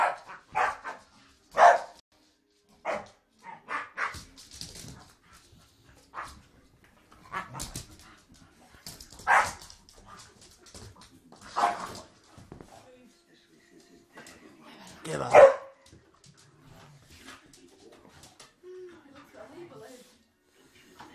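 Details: Play fighting between Staffordshire Bull Terriers: scattered barks and growling yelps, louder at the start and near the middle, then quieter snuffling and scuffling sounds toward the end.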